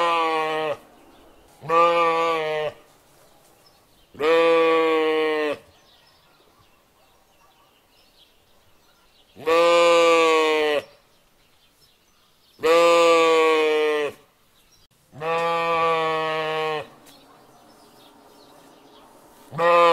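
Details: Young sheep bleating repeatedly, seven harsh, wavering calls of one to two seconds each at irregular intervals, with quiet gaps between and no other clear sounds.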